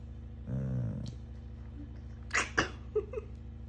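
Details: A moody Labrador Retriever gives a brief, deep, droning moan of about half a second, which it does every time a person nearby moves. Rustling and soft knocks from movement follow in a quiet room.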